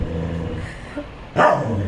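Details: Pet dog making noise at a cat toy: a steady low hum, then one short, loud, harsh bark near the end.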